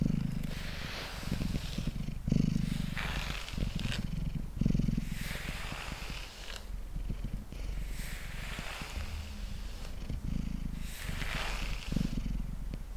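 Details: Mango, a pet cat sitting on a table, purrs steadily while being brushed; a deep, throbbing low rumble runs throughout, with the soft rhythmic swish of brush strokes roughly every one to two seconds.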